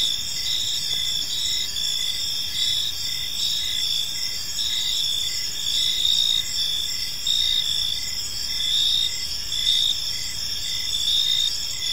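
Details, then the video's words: Evening cricket chorus in a quiet park, several insects overlapping in a continuous high trilling layer, with short regular pulses beating through and a soft low hum underneath. "Cricket Sounds in a Peaceful Park"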